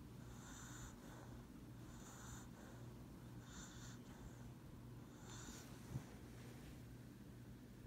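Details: Lap-napping pet dog Lucybelle snores gently, four soft wheezy breaths spaced about one and a half seconds apart, against a low steady electrical hum and one faint click.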